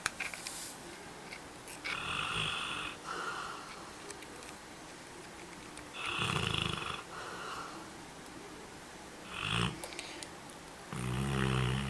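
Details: Labrador Retriever napping, recorded 3 March 2012: loud, raspy, breathy snores, each about a second long, come roughly every two to four seconds over a quiet indoor background.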